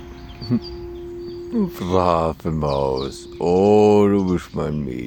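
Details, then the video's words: Ilvy, a rescued dog in Graz, Austria, howls along to church bells: long, wavering harmonic howls rising and falling over several seconds, broken by short breaths, with a steady bell hum underneath and faint bird chirps. "Rescued dog howls to church bells"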